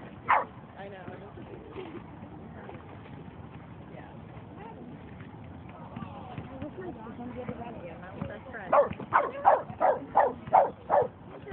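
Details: Boston Terrier at a dog run on 22 May 2011: a single sharp bark at the start, then a quick run of six sharp barks roughly every half second near the end, with people talking in the background.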